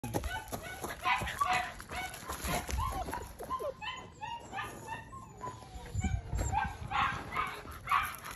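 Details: Neapolitan Mastiff puppies offered for sale in Acton, California, giving short high-pitched whines and squeaky yelps, several rising and falling in quick succession, mixed with people talking and handling noise in the background.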